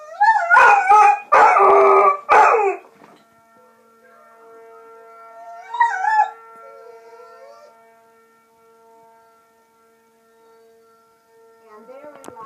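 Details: A dog named Adpen howls with a siren: three loud wavering howls open the clip, then a long steady siren tone holds while a brief fainter howl rises near the middle and again at the end.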